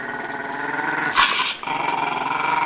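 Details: A tiny shih tzu intimidating two pit bulls growls continuously: a steady, rough, harmonic rumble runs throughout, interrupted midway by a brief, louder, breathy burst.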